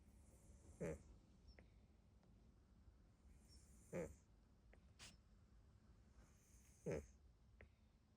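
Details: Neutered mixed-breed rescue cat of unknown age, deeply asleep with half-open eyes, snoring in short soft snorts about every three seconds, three main breaths, with faint clicks and a person murmuring afterward.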